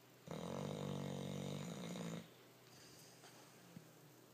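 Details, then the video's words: Rocky, a dog, snoring like a person: one long, droning, buzzy inhaled snore of about two seconds with a steady low rattling tone, followed by softer quiet breathing and a small click. "Snoring Rocky"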